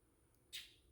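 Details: A wild fox that has grown friendly to a person gives a single sharp, harsh, high-pitched bark against a quiet background while the person coaxes it to bark.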